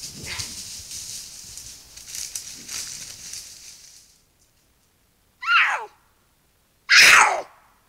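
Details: Two cougars in a canyon of the Angeles National Forest at night, calling out to each other while seeking a mate before meeting up, give two loud, harsh caterwauling screams, each about a second long, after hissy background noise.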